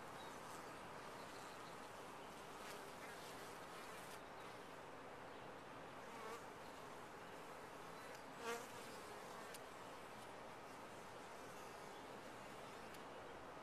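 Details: Honey bees buzzing in a top-bar hive: a thick continuous hum, with one brief louder buzz as a single bee passes close near the middle.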